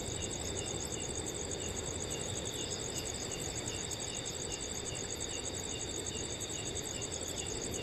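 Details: Forest crickets on a cool summer night, many calling at once: shrill steady high trilling plus regular pulsed chirps about three per second, with a gentle wind hiss steady in the background.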